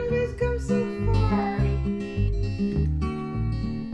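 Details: Strummed acoustic guitar music plays steadily throughout, with no animal voice audible.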